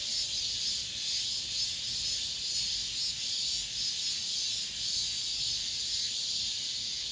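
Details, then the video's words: Late-summer cicadas around apartment buildings, an unbroken high electric buzz with soft rhythmic surges roughly every second, steady and loud throughout. "올 여름 마지막 매미소리, 아파트 단지 내"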